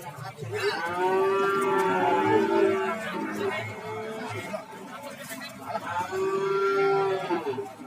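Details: Cattle lowing at the Warujayeng market in Nganjuk, East Java: a softer, more distant long moo, a few brief lows, then a second sustained moo a few seconds later, with steady background murmur.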